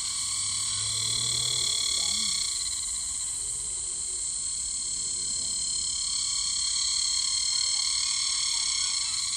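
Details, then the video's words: A summer cicada, recorded close up on tree bark, gives a loud, steady, high-pitched buzzing drone, unbroken and shrill from start to finish. "A close-up of a summer cicada sound. It's driving me crazy"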